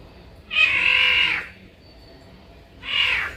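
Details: A caracal calling in reaction to birds gives a drawn-out, high, nasal meow-like wail of almost a second, then a shorter second wail after a pause.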